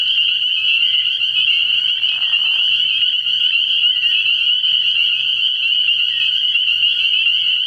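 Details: Many spring peepers calling together after dark at an early-spring frog pond, an intense high continuous peeping chorus with a short lower grating call around the second and third seconds.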